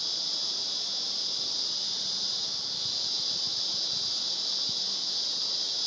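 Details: Cicadas in Glenbrook National Park, Blue Mountains, on 30 March 2014: a continuous, shrill, high buzzing drone that holds steady and unbroken from start to finish, with faint low murmur underneath.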